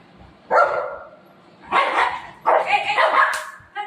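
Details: Golden retriever Buzo and shih tzu puppy Milo fighting: three loud, harmonic yelping barks in quick bursts, the last two close together, with a brief human voice in the background.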